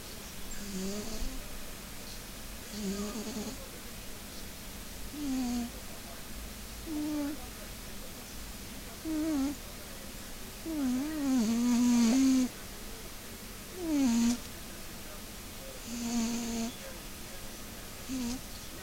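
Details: Maine Coon cat named Funya snoring while asleep indoors: squeaky, tonal wheezing snores that waver up and down, repeating roughly every two seconds, some louder and drawn out mid-sequence, over a steady faint room hum.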